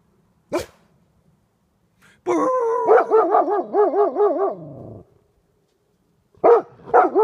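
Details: Two Golden Retrievers barking at a porcupine: after a single sharp click, a loud burst of rapid, wavering yelping barks, about seven quick pulses in two seconds, then more short barks near the end.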